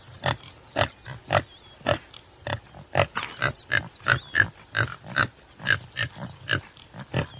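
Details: Common tsessebe producing rapid, rough grunting snorts in an uneven run, some closely doubled, while small birds twitter faintly behind.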